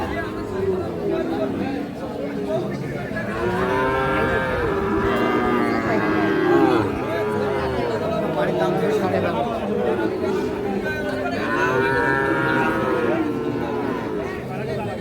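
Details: Sahiwal bull calves about six to seven months old at Ambari cattle market, Parbatipur, Dinajpur, Bangladesh, lowing in overlapping, drawn-out moos with several animals calling, amid steady crowd chatter and bargaining voices.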